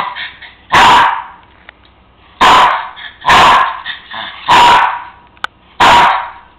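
Five loud, abrupt barks from a Cairn Terrier come at irregular intervals of roughly one to one and a half seconds. These insistent demand barks are aimed at getting a bone it wants.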